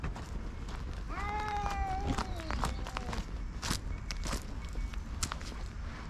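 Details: During a territorial chase between a grey tabby-and-white cat and an invading orange tabby, one short, thin, falling yowl sounds faintly for about two seconds. It sits over steady low rumbling background noise and scattered footstep-like clicks.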